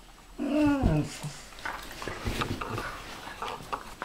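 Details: Pharaoh Hound and Ridgeback tangling indoors, described as an attack by Chewbacca: one dog gives a brief, rough growl that bends downward after about half a second, followed by scuffling, panting and small knocks.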